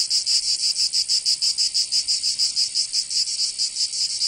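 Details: Summer cicada chorus from Provence in southern France. A continuous shrill buzz throbs in quick, even beats, several per second, with nothing else audible.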